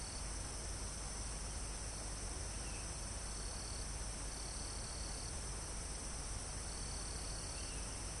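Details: A forest chorus of crickets and insects almost at the top of a mountain, captured live. A steady, shrill high drone carries longer trill bursts, while soft wind moves through the trees and brief faint bird chirps appear.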